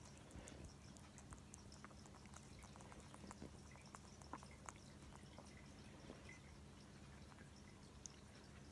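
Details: A female pet rabbit chewing, likely on a grape, making soft, quick crunching clicks over a low indoor hum.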